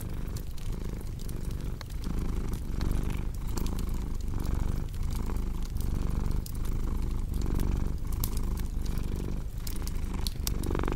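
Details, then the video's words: Cat's low purr pulsing in regular breath cycles under busy fireplace crackling, the snapping of burning wood almost as prominent as the soft rumble. "Purring Cat with Cozy Crackling Fireplace Sound"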